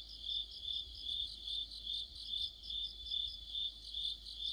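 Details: Deepening autumn sounds from crickets and other insects under a streetlight, shrill sustained trilling that rises and falls in even pulses about twice per second, with low rumble beneath.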